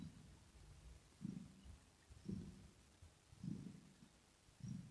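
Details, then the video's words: Kitten giving a throat purr, recorded ear to ear. Soft, low rumbling swells return about every second against a quiet background. "Asmr With Kitten Cat 😽 Ear To Ear Purring"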